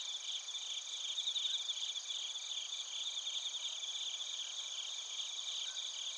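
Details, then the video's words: Japanese bell crickets (suzumushi) and crickets (koorogi) near Narita, Chiba, Japan, recorded with a TASCAM Portacapture X8; several shrill, overlapping tones pulse rapidly and continuously, swelling slightly around the first second and a half. "スズムシとコオロギの鳴き声 - Chirping of crickets"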